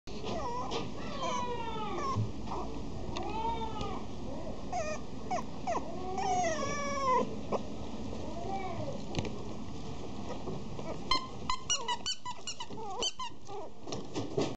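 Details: Female Chihuahua and Papillon mix puppy at a pet shop: repeated high, arching whines and squeaky cries in quick series, then sharper short yips near the end.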